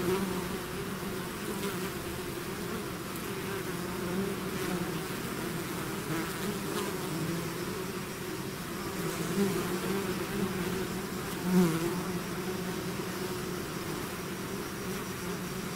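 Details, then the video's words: A honeybee swarm out of its hive, natural buzzing: a dense, continuous low drone with overlapping wingbeat hum, steady throughout, one brief louder buzz as a bee passes close near the end. "bees therapy swarm natural buzzing sound"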